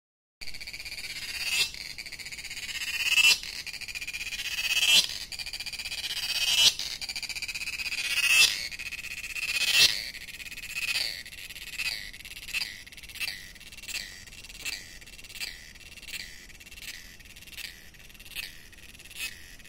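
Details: Cicadas in Goa, India sing in shrill, high-pitched buzzes that swell and fade, then shift into quicker, regular pulses.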